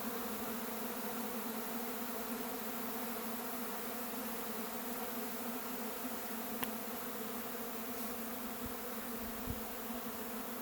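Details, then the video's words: A honey bee swarm departs its hive and takes flight: a steady, massed buzzing drone fills the air, broken only by a sharp click midway and a few soft low thumps near the end. "A Honey Bee Swarm leaves the hive and takes flight."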